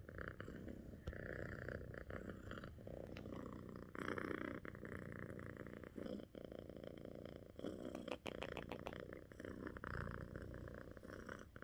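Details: Domestic cats Echo and Pip purring while cuddling together indoors; a steady low rumbling purr runs throughout with a broad continuous texture, interrupted by occasional soft rustles and brief clicks.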